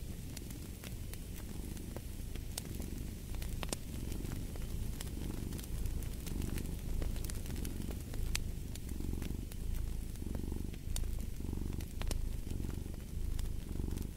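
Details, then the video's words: Cat's continuous low purr, swelling and easing with each breath roughly every second, overlaid by frequent crackling and snapping from a burning fireplace. "Fall asleep to the Purring of a Cat & Fireplace"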